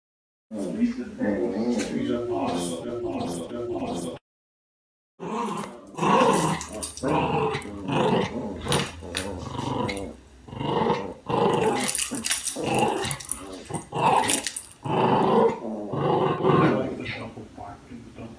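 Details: Two West Highland White Terriers, Tristan and Izzy, trade a growly patter duet: deep, rumbling, rapidly varying growls and grumbles pour out in dense bursts after a brief silence near the start, with speech-like rhythm throughout.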